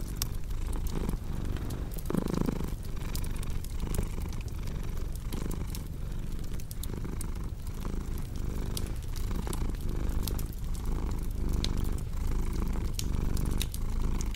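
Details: Low, rolling purr of a cat, pulsing evenly with its breathing, with a brief soft thump near the start and bright crackles of a fireplace popping throughout.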